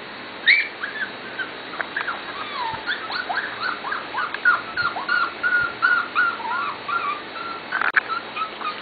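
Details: Corgi puppies from Katie's and Venus's litters, almost seven weeks of age, keep up a busy chorus of high, thin whimpers, many overlapping and sliding downward, with a sharper squeak near the start and one near the end.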